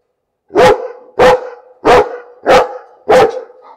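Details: Five loud, deep barks from a dog at a steady pace of roughly one every 0.6 seconds, each with a short ringing tail, filling the whole stretch.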